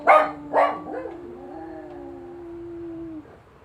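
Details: Sally the Jack Russell terrier, reacting to an ambulance siren: two short sharp barks, then a steady, low, sustained howl held for about two seconds before cutting off.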